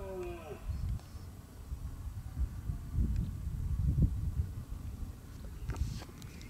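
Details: Red deer during the rut (berrea) at Acrijos, Soria, Spain, on 29 September 2017: a deep, rough, low-pitched roar swells over several seconds and peaks near the middle, with a brief higher tonal sound at the start.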